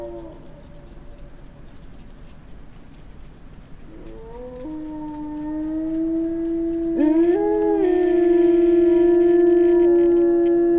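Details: Small pack of Eurasian wolves howling in the Finnish taiga: a faint howl at first, then more voices join around four and seven seconds, building into long, steady, overlapping tones with rising starts.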